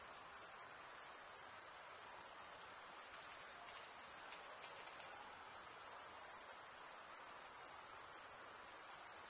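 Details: Crickets chirping by stridulation, the males scraping wing against wing, giving a constant shrill shimmering trill at a fixed high pitch with mild loudness swells and a quiet background.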